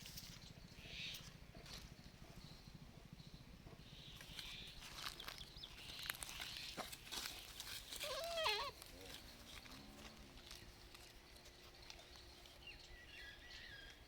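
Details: A baby goat in a village gives a brief, wavering bleat over a background of clicks and rustling outdoor noise.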